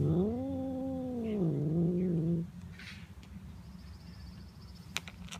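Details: Tom cat making sounds as he is petted, a long wavering low moan bending up and down for over two seconds before stopping, followed by quiet room noise and a faint click.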